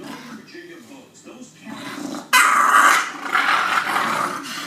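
An English Bulldog gives loud, harsh, raspy grunting bursts after a quiet, low murmuring start.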